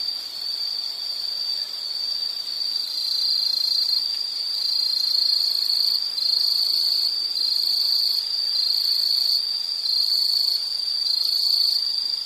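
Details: Insects in a nature recording made for calm study or sleep; a steady high shrill trill holds one pitch throughout, with the loudness swelling slightly in slow waves and a faint hiss underneath.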